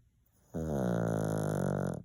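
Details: Sleeping 16-year-old senior Pomeranian giving one loud, steady, droning snore lasting about a second and a half, rich and buzzy, indoors.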